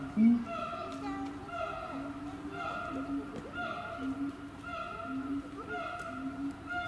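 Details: Siamang held at Chiba Zoological Park in Japan, with repeated tonal hooting notes in a steady series, each held briefly with a clear ringing overtone, one louder low note near the start.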